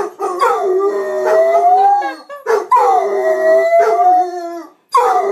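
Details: Two house dogs, Gracie and Lilly, howl in chorus with their owner; long howls glide upward and fade, each roughly two seconds, separated by brief yelping onsets and a short silence near the end.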